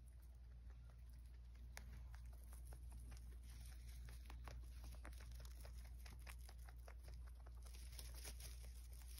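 A rabbit chewing, with quick, uneven crunchy clicks over a steady low hum.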